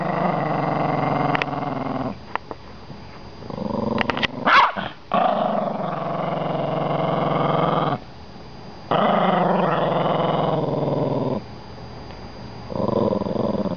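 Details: Toy Poodle growling while guarding his bone as someone tries to take it; long, rough, rumbling growls held for several seconds with brief pauses between, a short snarl and snap midway, a person's voice teasing.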